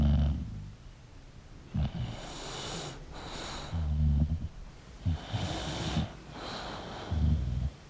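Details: Sleeping English bulldog with soft low snores and airy, hissing exhalations, short rumbling snorts spaced a second or two apart.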